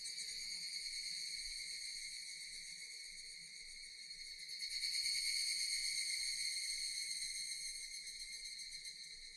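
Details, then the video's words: Japanese cicadas producing a steady shrill buzz that swells midway and fades slightly toward the end, with a faint low hum beneath. "Japanese cicadas Sound effect"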